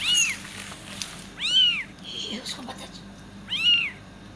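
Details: Kitten giving meows meant to attract cats, three arched high calls about two seconds apart with a faint rustle and a soft low sound in between.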